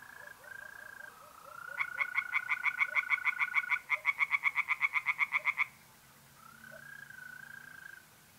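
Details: Tree frogs singing by night in a pond in north-east Italy in mid-April: bursts of rapid, evenly pulsed croaks, about twenty in under four seconds, over a steady, long trilling hum of mole crickets.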